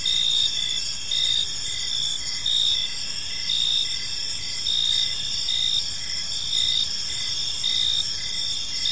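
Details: Crickets chirping in a peaceful park at evening: dense, steady high-pitched trilling in several overlapping bands, pulsing in soft rhythmic swells roughly once a second, with no other clear sounds.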